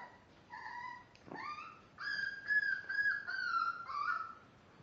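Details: A five-week-old Miniature Dachshund puppy, one of a litter born March 30th, whines softly: a short level cry, a rising squeal, then a drawn-out, wavering whimper over faint background hiss.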